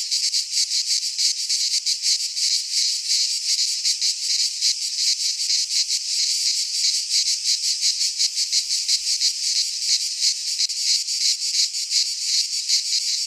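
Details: Midsummer chorus of cicadas in a pine forest in Greece, a loud, unbroken high buzz throbbing in quick regular pulses, roughly three per second, with no other sounds present.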